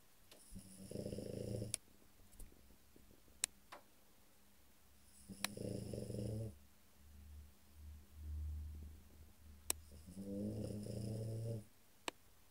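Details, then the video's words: Dozing French Bulldog Cesare snores three times over twelve seconds. Each snore is a gravelly, low rumbling inhale lasting about a second, and sharp small clicks are scattered between them. Softer breathing murmurs in the pauses. "cesare bouledogue francese dormiglione"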